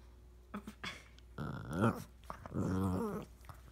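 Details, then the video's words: Puppies playing together, giving short low growls and whimpering yelps, with two longer harmonic growling bursts in the middle and near the end amid soft scuffling. "Puppies playing"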